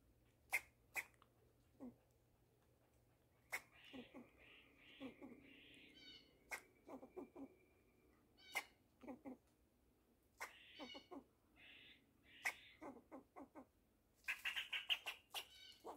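A fox squirrel gives sharp clicking chucks and short bursts of buzzy, rasping notes.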